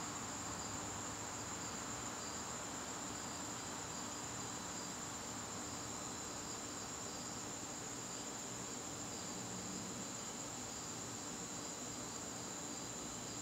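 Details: Crickets calling in a garden on a September evening: a steady, high, shimmering trill runs unbroken throughout, with a softer pulsing trill just beneath it and a faint low rumble in the background.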